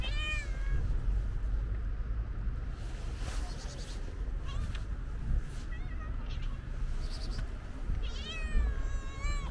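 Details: Calico stray cat with white paws, among other stray cats being fed, gives a short rising-falling meow at the start and another near the end, over steady low rumbling background noise.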